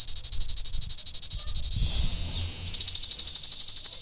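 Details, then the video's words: Greek tzitziki cicada singing in daylight: a high, pulsing rasp at about ten beats a second that smooths into one steady hiss midway, then resumes its rapid throbbing. "Tzitziki Bug, Cicadas Insect, Greece"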